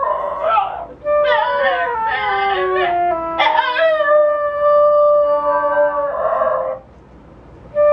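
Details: Female pet Basenji dog yodel-singing with her owner's flute; sweeping, wavering howls with sharp pitch breaks, rising and falling, alongside a long steady flute-like tone, then a short pause.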